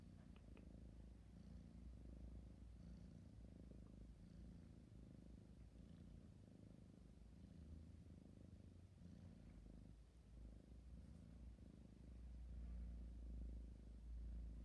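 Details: Sleepy kitten purring, a steady low rumbling throb of soft regular pulses, with a few faint clicks near the start and a slightly louder stretch toward the end.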